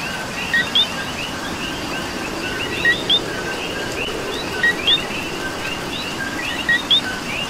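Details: Rain-soaked night chorus in Puerto Rico led by a nearby coqui whose paired notes, low then sharply higher, come four times at uneven gaps of about two seconds, with other coquis chirping and rain hissing throughout.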